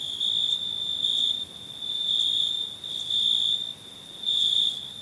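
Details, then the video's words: Crickets at night: a steady high, thin trill that swells into louder bursts every second or so, then fades back, with no other sounds. "Night ambience cricket sounds"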